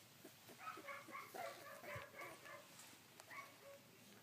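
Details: Whines from collie puppies aged sixteen days, filmed on 3 June 2013, thin and quavering, repeated about four times a second over a hissy background with occasional clicks.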